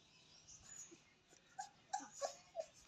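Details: Puppy whimpering in short, high, tonal squeaks, four quick whines in about one second after a quieter start, each bright and clipped, with faint background rustle.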